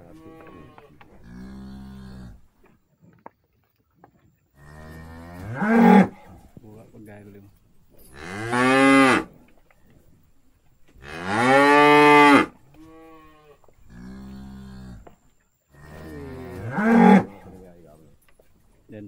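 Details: Cattle being summoned with salt water moo four times at intervals of roughly three to five seconds, each call long and rough-edged, over faint background lowing.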